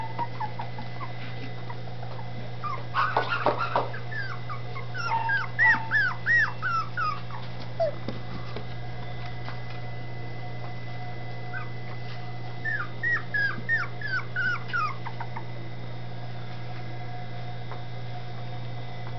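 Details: Dachshund puppies in Campinas, São Paulo, settling happily into a new home, give thin, high whimpers and yips in short bursts over a steady low hum.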